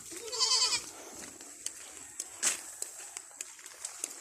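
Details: Farm goats being moved to their grassy feeding area: one short, strained, wavering bleat at the start, then scattered clicks and knocks over a constant hissing background.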